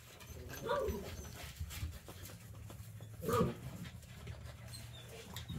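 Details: Eight-week-old puppy named Syrup gives two short, thin whimpering yelps about two and a half seconds apart, with soft panting and low rumbling room noise between them.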